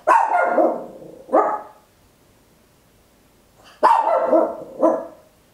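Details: {'caption': 'Small Papillon dog barking loudly at home, recorded in stereo with an Olympus LS-11: two pairs of sharp, harmonic barks, each first bark longer and a shorter one following, separated by about two seconds of quiet room.'}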